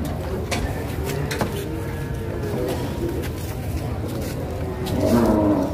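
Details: Cattle at an Indonesian market during loading onto a truck in 2022: a faint low moo early on, then a louder, brief wavering moo near the end, against constant background noise and crowd clatter.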